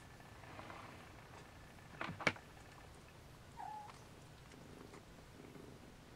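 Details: Siamese kittens trying to nap beside their mother Siamese cat, indoors; one brief, soft mew that rises then levels off, preceded by a sharp knock, over steady low room hum.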